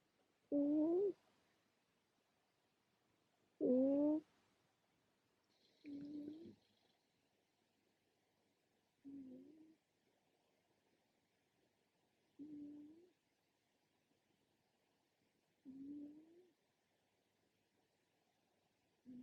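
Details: A cat named Mouse taking a morning nap indoors, going from purring to snoring. Tonal snoring breaths recur about every three seconds, the first two louder with a rising pitch, the later ones softer and shorter.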